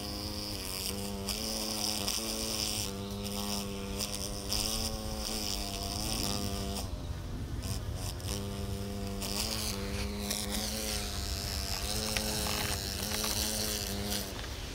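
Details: Hornet caught with tweezers, buzzing in a steady, rich low drone with brief pauses and pitch dips near the middle, then resuming evenly, over persistent hissy background noise.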